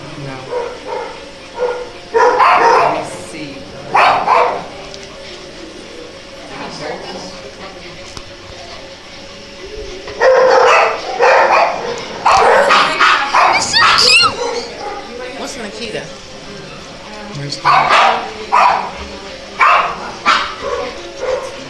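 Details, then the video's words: Dogs in a room of many dogs bark in loud, ragged bursts, with clusters of quick yaps around the middle and near the end, while people talk throughout about which dog to pick. "The cutest dogs barking"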